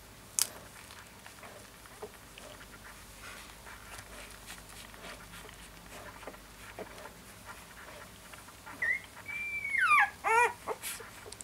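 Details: Siberian Husky puppy giving a drawn-out whine near the end: a high, steady tone that bends downward, then a few short, sharp yelps. Quiet room noise and faint rustling come before it.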